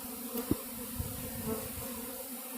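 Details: Honey bee swarm settling on a cedar tree in a back yard, most of the bees gathering in one spot; a steady low droning hum throughout, with a few soft thumps and faint rustling.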